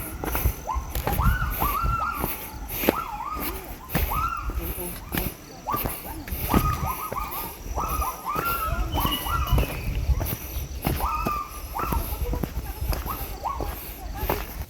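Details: A Javan primate gives a run of loud, rising whooping notes, about one per second, heard from a dry crater area near Kawah Ratu, Mount Halimun Salak, Bogor, Java.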